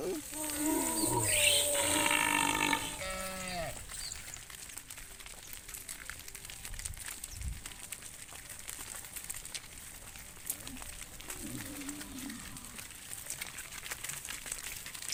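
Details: Herded tame cows returning to the farm pen in the evening: one loud, long, rising-then-falling moo lasting about three seconds, followed by quieter rustling and a faint distant low call near the end.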